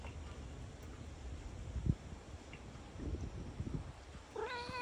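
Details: A big, fluffy, large-headed cat meows as it approaches after the rain. A single rising, slightly wavering meow comes near the end, over a low rumbling background with faint thuds.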